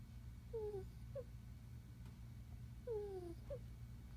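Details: Puppy asleep and snoring with squeaks: two thin, falling whistled squeaks about two and a half seconds apart, each trailed by a brief softer peep, over constant low room hum.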